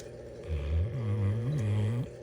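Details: A female Bloodhound, sleeping while Christmas ornaments roll over her face, snores with one low, rumbling breath that wavers slightly in pitch.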